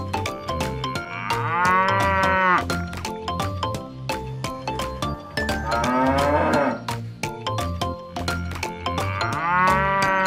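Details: Cow mooing, three drawn-out lowing calls with a wavering, rise-and-fall tone, each lasting about a second, spaced several seconds apart over a steady, beat-driven children's music track.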